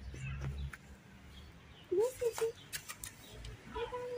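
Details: Tiny stray kitten that does not trust humans gives short, high mewing calls, a pair of quick rising-falling mews followed by a slightly longer steady one, over low background rumble and scattered clicks.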